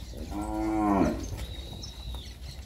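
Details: Nelore and Nelore-cross heifer calves, about ten months old, near Fernandópolis, São Paulo, Brazil: one short lowing moo of about a second, with a strong, steady harmonic stack and slight downward bend, followed by quiet background.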